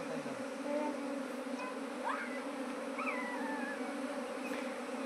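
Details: Bees reluctant to enter a modern hive box in Nepal maintain a low continuous hum, while varied whistled bird calls, some rising and some wavering, sound over it.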